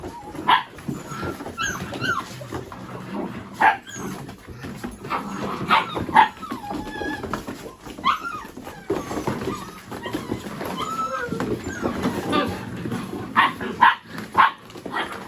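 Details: Mini Goldendoodle puppies playing with boxes, chasing each other and rolling around; sharp high yips and short barks burst out every second or two, mixed with whines, scuffling and rustling, with a steady hum behind.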